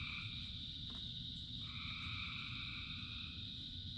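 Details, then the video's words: A rain-soaked frog chorus of thousands of callers, sustained buzzing tones stacked at different pitches, one layer dropping out and returning after about a second and a half, backed by constant heavy rain noise. "Frogs in Rain 2 Hours of Frogs, Thousands of Frogs Singing"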